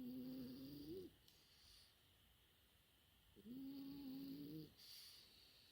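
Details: Snores from a four-month-old French Bulldog puppy asleep: two sustained humming nasal snores, each just over a second, separated by quiet breathy inhalations.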